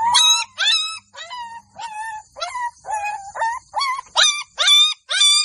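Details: Golden Labrador puppies in a village cry out in loud, sharp, high-pitched yelps, regular pulses around twice per second with brief silences between, clean and close.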